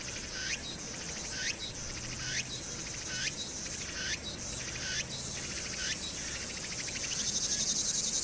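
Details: Summer cicadas on Hwangnyeongsan, 1 August 2019, with urban noise: rising buzzy phrases repeat about four times a second-and-a-half, then give way to a high, sustained whine; faint city hum beneath.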